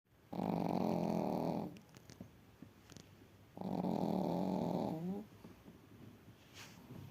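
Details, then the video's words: Darsu Vargas, a sleeping Chihuahua at a Crimean kennel and its loudest snorer, gives two long, raspy snores about three seconds apart, the second trailing off in a fluttering release, in a quiet small room. "#храп #чихуахуа Дарсу Варгас самая главная храпунша"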